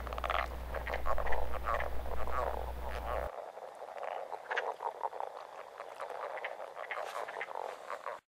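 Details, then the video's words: Leopard frogs, males giving mating calls by day in April in southern Manitoba; a chorus of low snoring, rattling croaks repeated in quick series, with higher quirk-like notes of wood frogs in the background and a steady low hum in the first seconds. "Leopard Frogs, April 2011"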